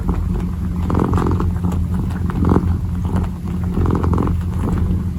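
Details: Low, even purr from a kitten as it kneads, the rumble unbroken across the clip while muffled pawing rustles rise and fall above it.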